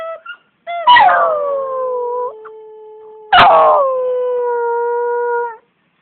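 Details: Pet dog singing: two long howls, each opening with a harsh loud burst that slides down into a steady sustained tone held for over a second, a few soft yelps beforehand, quiet room otherwise.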